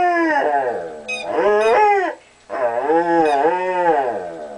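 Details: Weimaraner talking to his toy: drawn-out, howl-like moaning vocalisations that waver and bend in pitch, two long phrases of about two seconds each with a short pause between, plus a few faint high squeaks.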